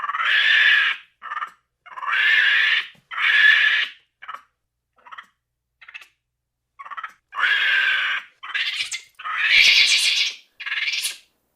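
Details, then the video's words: Monkey giving harsh, raspy screeching calls, long noisy shrieks mixed with short clipped bursts, irregularly spaced with brief silences between them. "Monkeys sound / Звуки обезьянки"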